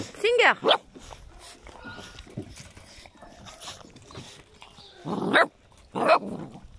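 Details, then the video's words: Eight-week-old puppies of the dog Singer: an arching, pitch-bending yelp opens, then two shorter yelps follow near the end, mixed with voices and background shuffling. "chiots de Singer 8 semaines"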